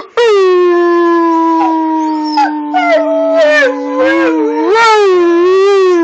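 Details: Husky-wolf hybrid dog howling while arguing with its owner: one long, steady, slightly falling tonal howl, breaking near the end into a wavering, rising and falling yodel-like phrase, loud and clear throughout.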